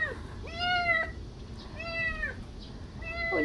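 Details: A legless kitten being adopted gives three clear meows about a second apart. Each meow rises and then falls in a thin, harmonic-rich tone, over a steady low background hum.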